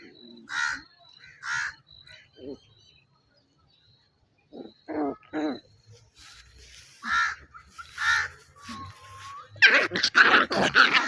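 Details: Two puppies wrestling and biting in play, growling as part of the playful exchange: separate short harsh yaps and growly barks with quiet gaps, ending in a dense flurry of scuffling noise.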